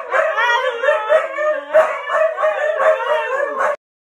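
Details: A pack of huskies howling together: several overlapping wavering, mid-pitched howls rise and fall continuously for nearly four seconds, with sharper yips breaking in, then stop suddenly.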